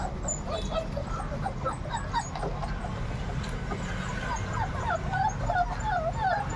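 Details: Quieter whining from 38-day-old Labrador retriever puppies, softer at first, then clearer rising-and-falling squeaks toward the end over a steady low hum.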